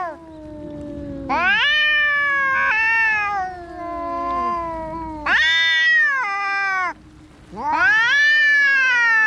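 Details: Cats fighting: long drawn, wavering yowls with rich harmonics, two or more voices overlapping, loud rising howls breaking in around every two to three seconds over lower moaning growls.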